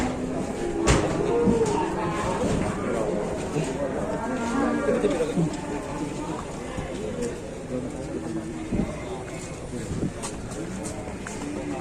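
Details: Super-jumbo fat cattle from an Indonesian cattle keeper, several low drawn-out moos rising and falling over a busy background of murmuring voices and steady crowd noise.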